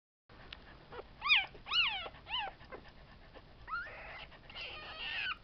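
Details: Tibetan Terrier puppies from a litter born 11 July 2012 at a kennel in Hungary, indoors: a few high, arched, whining whimpers rising and falling, then a couple of longer, rougher squeals near the end, over faint room noise.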